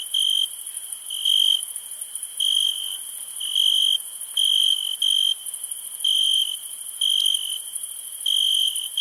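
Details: Nighttime crickets give bright, shrill chirps lasting around half a second, spaced unevenly about once a second, above an unbroken high-pitched insect drone.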